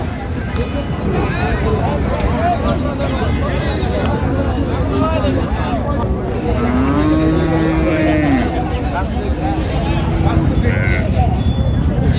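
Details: Cattle at the Raniganj cattle market in Dinajpur on 23/12/25, where cows and calves are traded. A single drawn-out, low moo rises and falls for about two seconds midway through, over constant crowd chatter, bargaining voices and vehicle noise.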